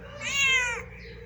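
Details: Pet cat at home where cats are fed rice; a single clear, bright meow lasting about half a second, steady then dropping off, with a low mains-like hum beneath.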